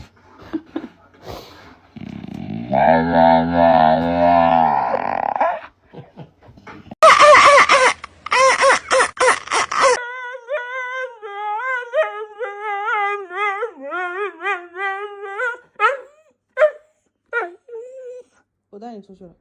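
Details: Dog making strange sounds: a low grumbling, harmonic vocalizing, then a harsh noisy burst, followed by a long run of wavering, yodel-like whines broken into short phrases, with faint speech at the start.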